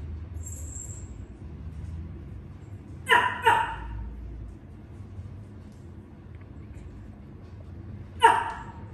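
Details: Shih Tzu named Deppa gives three short, sharp barks: a quick pair early on, then a single bark several seconds later, over a steady low hum with a brief high squeak near the start.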